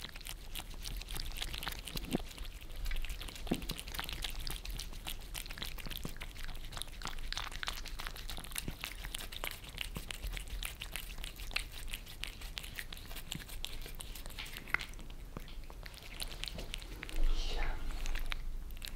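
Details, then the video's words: Two pet cats in Germany, Lissy the Maine Coon and Fritz the British Shorthair, lick their favourite creamy treats off a glass table indoors. Dense, fast wet clicks and smacks run steadily throughout, with a louder burst near the end. "Cats licking creamy treats on glass table"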